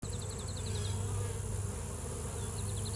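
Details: On a spring day a honey bee drones in a steady, low, unbroken buzz, while a singing bird's quick high chirps come in rapid runs near the start and end.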